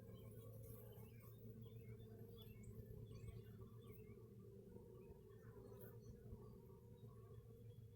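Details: Bees in a hive, picked up by a hive camera: a steady low droning hum with layered harmonic bands that holds throughout, with faint scattered bird chirps high above it.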